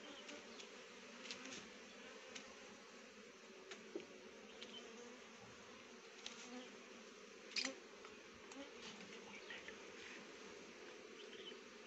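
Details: Honey bees gathering nectar from rhododendron flowers to make honey; a steady, low droning hum of wings runs throughout, with scattered faint clicks and a brief louder knock partway through.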